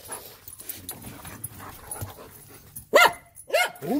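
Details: German Shepherd barking excitedly while annoying its puppies, a trained dog at home; a low quiet stretch of shuffling, then two loud harmonic barks about half a second apart near the end, with a third starting.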